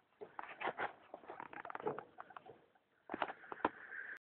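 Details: A female hamster makes rapid clicking chatter at night, then a thin, sustained squeak near the end; her owner says she never used to make these noises.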